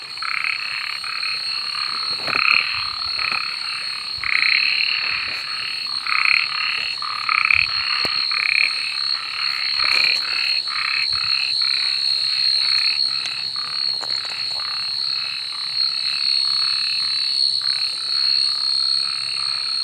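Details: Frogs croaking at night in a busy chorus, with many overlapping short raspy pulses and uneven loud bursts, and a continuous high-pitched insect drone throughout.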